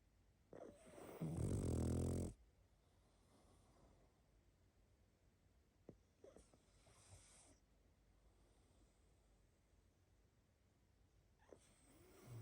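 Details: Pug snoring in its sleep: a long, loud, grating snore near the start, then softer snorts and snuffling exhalations at intervals of several seconds, ending on another rising snore.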